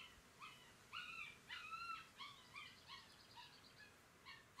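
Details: Galgo Español puppies from a 2018 litter, recorded 30 May 2018: high, thin whines and squeaks come in short bursts at irregular intervals, several voices overlapping, with little background noise.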